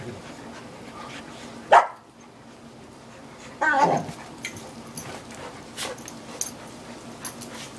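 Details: Dogs at play, an English Sheepdog and a chocolate Labrador Retriever together: two sharp barks, one near two seconds and a longer rough bark near four seconds, with faint panting and scuffling between.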